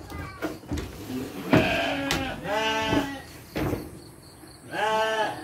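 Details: Domestic sheep bleating at dry-feed time as children help feed them: several wavering, harmonic bleats rising and falling, spaced a second or so apart, mixed with children's voices and some handling noise.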